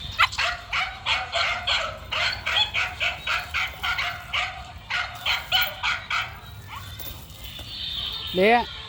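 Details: Male dog running and barking in a steady rhythmic run of sharp barks, roughly two per second for about six seconds, fading out, followed by a rising, wavering whine-like call at the end.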